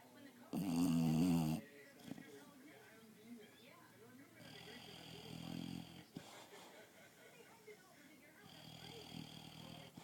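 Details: An English Bulldog taking an afternoon nap snores and dreams, opening with a loud, throaty snort followed by slow, rasping breaths.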